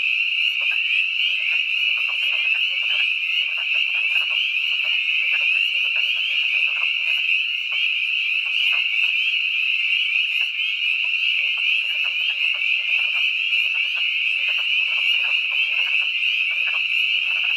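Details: Spring peepers and wood frogs call at twilight on March 11, 2012, in the Catoctin Mountains of Frederick County, Maryland, in a dense chorus of high peeps and low clucks.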